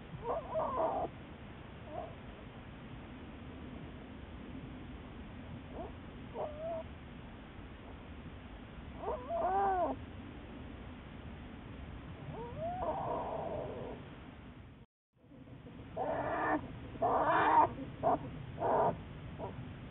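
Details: American black bear Juliet, followed by researchers at the Wildlife Research Institute, March 1, 2014: sporadic tonal squalling cries with bending pitch, a few short yelps, then a quick break before louder, denser overlapping wails.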